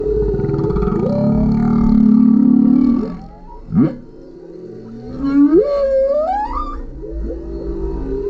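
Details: Male humpback whale singing directly beneath a kayak, captured on a GoPro: a loud, low buzzing moan, then a sharp rising whoop and several long upward-sweeping wails sliding into higher pitch, ending in softer low moans.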